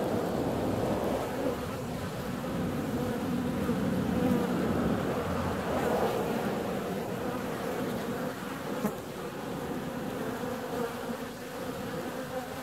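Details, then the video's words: Bees out flying on a warm February day, giving a continuous, low droning hum that swells slightly around four to six seconds, with a soft rushing background like wind or distant surf. "Bee's out on a warm February day."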